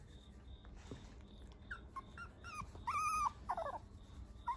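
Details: Puppy offered by a breeder, filmed on 24 September, giving short high whimpers and yips, a few scattered then a longer arched whine near the middle and a quick tumbling burst after it, over a low hum.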